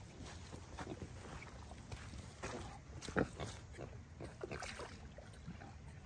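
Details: Rescue piglet Anne Claire, a young female at an upstate New York animal sanctuary, giving soft repeated oinks and grunts with one sharper louder grunt midway, over low rumbling background and faint voices.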